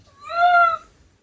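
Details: Milky, a male Ragdoll cat kept indoors, said to get angry at his hay-fever-sufferer owner's constant sneezing: one clear, tonal meow about half a second long, steady then gently falling, in a quiet room.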